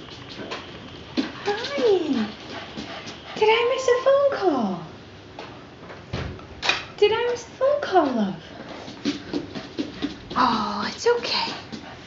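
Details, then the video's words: Puppy howling indoors at a ringing phone while its owners are out of the room, something it never does when they are present; wavering, rising and falling howls repeat between sharp clicks and loud phone sounds close by. "Puppy Howl"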